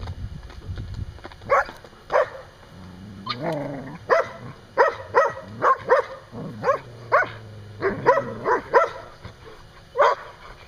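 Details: A dog barks over and over while play-fighting another dog outside a pen where a mother plays with six-week-old pups. The short sharp barks come in quick bursts, with a brief growling stretch midway.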